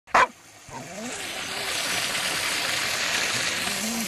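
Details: Female Labrador Retriever named Tellie on a warm day, playing with a water hose after agility, barking to demand water: one sharp, loud bark at the start, then a steady broad hiss of spraying hose water.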